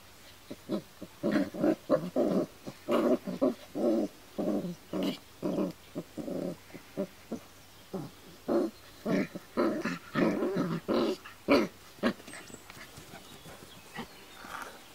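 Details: Kuvasz puppies from the Armani Niclas vom Crystal Diamonds and Arika Majna-menti Mákvirág litter, 39 days old, 22 July 2014: rapid, irregular runs of short, harsh grunting and growly bursts, about two per second, pausing briefly before resuming.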